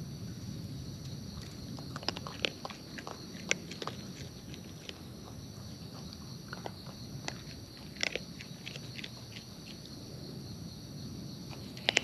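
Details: Close-up chewing of wild raccoons while they eat in nature: sharp crunchy clicks scattered irregularly, some louder snaps, over a low rustle and a constant thin high hum in the background.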